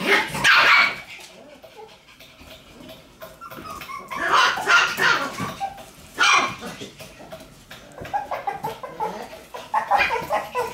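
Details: Shiba Inu puppies playing energetically: sharp, high yips and barks arrive in loud bursts, with quieter scuffling and soft whines between them, and a few short yelps repeating quickly near the end.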